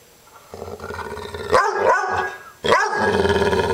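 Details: Dog Maggie, upset, sustains a low rumbling growl that swells into a rising, wavering howl-like whine, repeated twice in quick succession.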